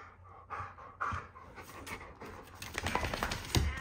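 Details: Quick, breathy panting from dogs at rough play: Teo the German Shepherd refereeing his 14-month-old pitbull nephews Ronan and Joaquin; airy bursts come faster and louder toward the end, with scuffling underneath.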